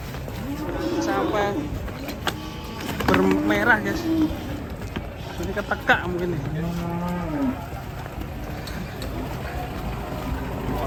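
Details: Agitated, raging cattle lowing: drawn-out harmonic moos around three and six seconds, with clattering knocks and scuffing noise in the background.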